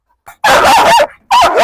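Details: Pit bull terrier barking hard from behind a metal grille during a challenge to see whether it will bite: a long, harsh, loud bark with a wavering tone, a brief gap, then another forceful bark.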